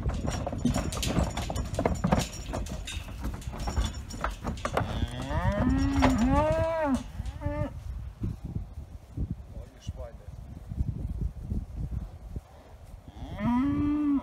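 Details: Galloway bulls being moved to a new meadow: several deep, wavering moos with rising-then-falling tone around the middle, another moo at the end, over trampling hooves, rustling and outdoor background noise.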